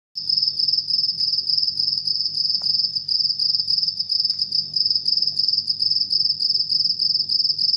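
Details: A cricket sings at night, a continuous high-pitched trill of quick, regular pulses that barely pause, with faint low rumbling far beneath.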